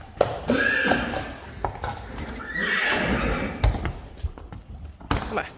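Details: Friesian horses in a meadow, the herd glad that Reintje and Minze Teije are back; two brief, high, strained neighs rise above hoof knocks and taps, with human speech mixed in.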